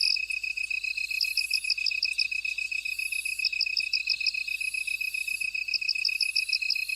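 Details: A field chorus of bugs: a steady high trill runs throughout, while bursts of bright pulsed chirps repeat every couple of seconds above it, some fainter higher buzzing drifting in and out.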